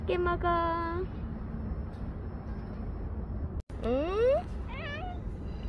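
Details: Stray cats named Sarang, Hodong and Hye, fed in the morning, give a rising meow and then a short arched one after a woman's flat calling voice, over low traffic rumble.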